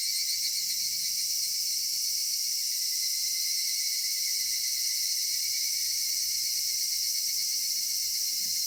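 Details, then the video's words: Steady high cicada drone on a summer evening in a cedar grove, shrill and unbroken throughout, with a faint low hum in the background. "夏夕暮れ杉林 セミの鳴き声"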